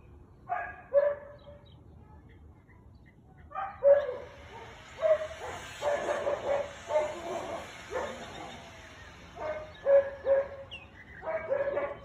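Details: Afternoon recording from 13 March 2021 of a Siberian Husky barking. A long series of short, gruff barks, some in quick pairs and clusters, comes with pauses in between. A faint hiss runs in the background.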